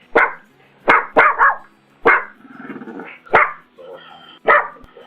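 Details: Sharp, clipped barks from a pug, five or six short yaps separated by pauses, with a low whine or growl between them.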